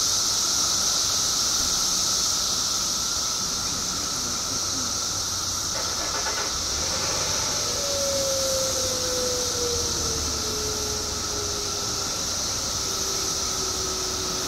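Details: Billions of periodical cicadas emerging in Illinois after 17 years underground create a ceaseless shrill hiss and steady drone, while a lower tone slides slowly downward in the background midway through.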